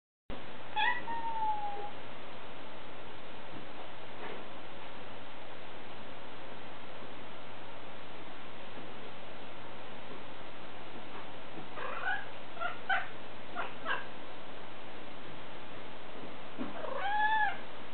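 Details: A cat gives two drawn-out, falling meows, one near the start and one near the end, over a steady low hum with scattered scratchy noises between them.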